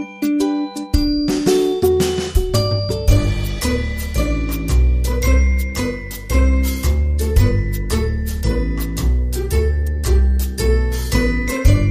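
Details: Bright chiming, jingly music with bell-like notes and a bouncing bass line, no animal voice heard.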